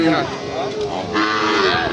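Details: Sahiwal bull calves at Ambari livestock market, held on Fridays and Mondays; a brief wavering low moo rises over dense crowd chatter and market noise.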